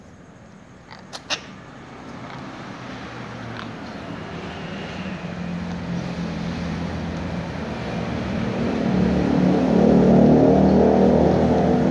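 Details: A low vehicle rumble swells steadily louder, with a couple of sharp clicks early on, and no animal calls can be heard.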